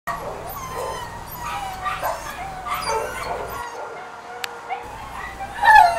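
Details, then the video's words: Two-year-old male Beagle/Pug mix in a kennel, crying because he wants out: a run of high, wavering whines that slide up and down, several overlapping, ending in a louder rising whimper. "Beagle/Pug mix wants out..!!! (Just listen to his cries)"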